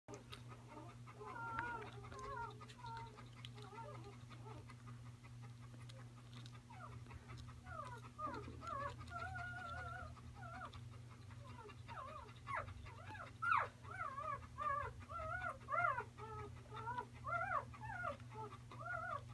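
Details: Newborn Bernese Mountain Dog puppy filmed close up, giving faint whimpers and squeaks that turn into a run of bent, wavering cries in the second half, over a steady low hum.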